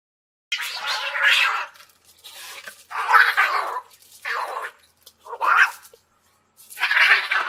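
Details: Cats in a fight, giving rough, raspy yowls and spitting bursts, five loud outbursts separated by brief pauses.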